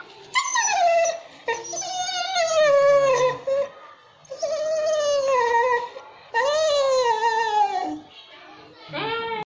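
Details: Pet dog vocalizing when called, said to be asking to be left alone or for food: long drawn whining, howling cries that slide downward in pitch, in four main bouts with short pauses, and a brief human voice.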